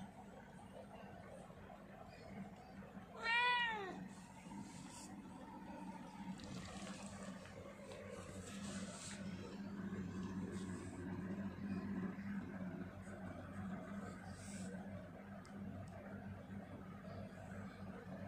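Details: Grey Angora cat with big feet and a large body, indoors: one loud, clear, drawn-out meow that rises and falls, followed by quiet room noise and faint rustling.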